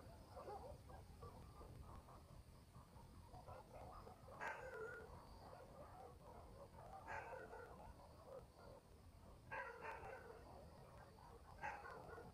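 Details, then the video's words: Barking dogs in a village at night, countryside setting: four separate far-off bark bursts, spaced a few seconds apart, over steady low rumble and faint chatter-like murmur. "barking dogs in the village"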